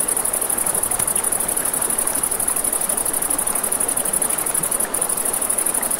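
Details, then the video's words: Night-time crickets beside a river give an unbroken, shrill, fast-pulsed trill, layered above steady flowing water and occasional soft pops of a crackling campfire. "Crackling Fire, Crickets, Ambient Nature Sounds"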